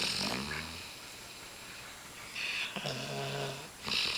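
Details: Napping female Swissy named Winter snoring on a person's lap: a gravelly, buzzing low snore on the inhale followed by breathy hissing, two full snore cycles with a hushed gap between them.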